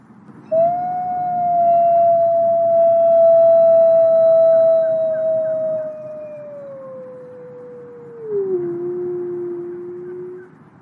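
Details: Grey wolf howling in the wild, a long smooth steady tone that slowly falls and then drops lower near the end, with faint higher overtones and a low background hum.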